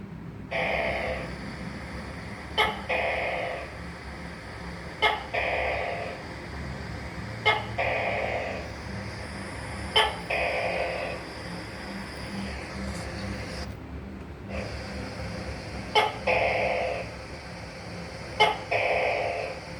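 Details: Tokay gecko calling repeatedly, about eight click-and-drone calls spaced around two and a half seconds apart. Each is a sharp tick followed by a buzzy, falling, nasal note. The series breaks briefly midway over constant low background noise.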